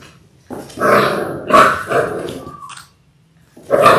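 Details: Indoors on February 28, six-week-old Labrador Retriever puppies born January 18, 2022, in a litter of six: rough, gravelly growl-barks in two long bursts, a brief high whine, a pause, then another growling bark.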